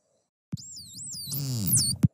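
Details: A dolphin whistles, a high, wavering tone that rises and dips for about a second and a half; this is dolphin B's whistle, played for comparison with dolphin A's.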